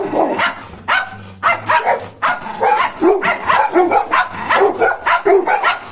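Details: Golden Retriever puppy alongside a German Shepherd, giving quick runs of high yipping barks and a few whimpers, barks coming several per second with brief pauses.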